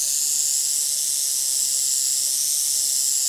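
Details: Prairie rattlesnake filmed in Northern Oklahoma in 2018, a snake that struck at a phone photographing it: a steady, high, hissing buzz of the rattle holds without a break for over three seconds.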